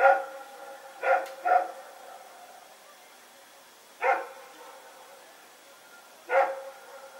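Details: At night in Pyrga on Sep 21, 2018, Rex and another dog run about barking: a double bark, then lone barks at roughly two-second gaps, each short and bright with stacked harmonics, with a faint steady hiss.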